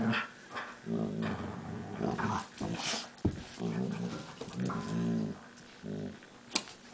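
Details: Pet dogs Max and Leo in a play fight: a steady run of low, rolling growls with uneven rises and falls, broken by a sharp click or snap partway through and near the end.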